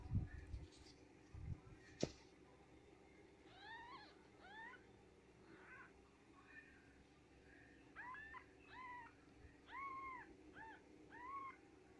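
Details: Japanese Bobtail kittens just born to mother cat S Rabbit, mewing in thin, arched, high-pitched cries. The cries come in quick clusters after a few soft knocks, over a steady low hum.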